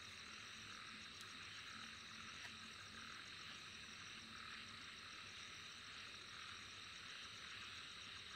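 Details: Dense, steady insect chorus with a high hissing wall of sound and fine pulsed trills at the top, unbroken throughout, a few faint low notes underneath.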